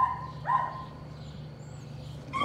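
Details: During nightly rat work, young Patterdale Terrier pups let out two clear, whining yelps early on, then a pause with only low background hum, and a final sharp yelp at the end.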